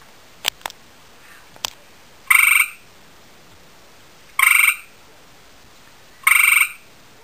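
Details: Calling to a nearby female, a male gray tree frog gives three rattling trills spaced about two seconds apart, each a burst of rapid even pulses; faint taps and clicks come first.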